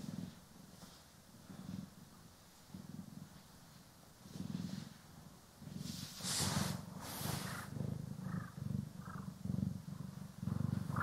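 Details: Gentle purring from house cats Poki and Kiwi as they are brushed and groomed, a stereo ASMR recording. The low rumble pulses quickly and unevenly, growing louder toward the end, with bright scratchy brushing strokes in the middle.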